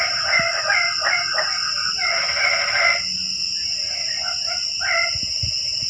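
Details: Frogs calling on a rainy night, livening up the quiet evening: overlapping nasal, pulsed croaks in quick bursts from several callers, over a steady high insect drone.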